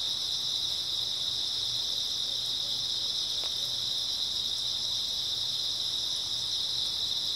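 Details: Grass insects chirping on an early autumn night, a dense, unbroken high-pitched trill held at a steady level throughout with no pauses and no other clear sounds.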